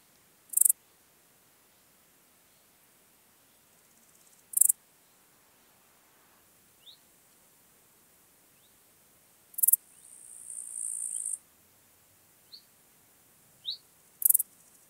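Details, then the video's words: Small Gold Grasshopper recorded at Elsbethen, Austria, on 26 September 2021: brief, very high, hissing chirps recur roughly every four to five seconds, with one longer buzzing stretch and faint ticks between them. "Euthystira brachyptera -- Kleine Goldschrecke -- Small Gold Grasshopper"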